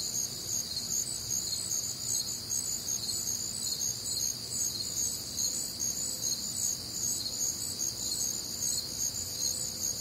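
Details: Crickets singing through a warm, humid summer night in the American Midwest, a constant high ringing trill of many insects, pulses repeating quickly and evenly, background otherwise quiet.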